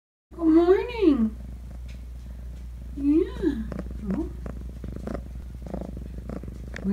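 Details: Feral kittens being socialized indoors: two arching, rising-then-falling meows about two seconds apart, with softer chirps after, a woman talking nearby and a steady low hum in the room.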